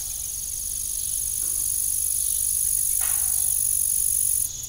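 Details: An unbroken, piercing high-pitched insect trill from evening crickets on an old farm with a disused windmill, steady and even, with a single soft creak and faint knock partway through.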